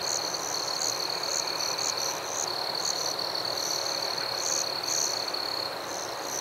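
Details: Crickets at night in the forest give an unbroken shrill trill, with sharper, higher chirps popping in every half second or so over low, even hiss.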